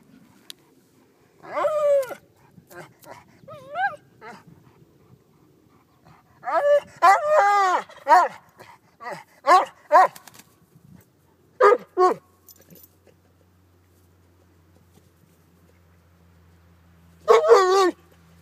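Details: A Vizsla playing with a silky rooster gives short, high, excited barks and yips in irregular bursts.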